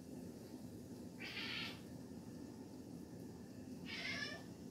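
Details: A Siamese cat gives two strained, nasal meows about two and a half seconds apart, a call it makes on spotting an insect, apparently signalling it has found a bug; Siamese cat.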